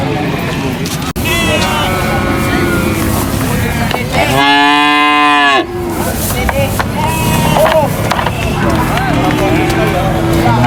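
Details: Cow being unloaded from a truck at a cattle market, giving one loud harmonic moo of about a second and a half amid constant engine rumble, crowd noise and men's voices.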